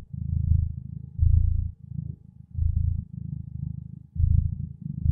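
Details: A contented cat purring steadily, a low rumbling vibration pulsing in rhythmic breaths of about one second each, inhaling and exhaling phases alternating, with no other sounds.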